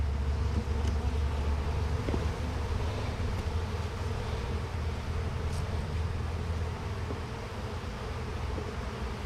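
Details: Bees in a hive during an inspection with frames lifted out, giving a steady low droning hum in layered bands, dense and continuous, with a faint click near two seconds and light wind.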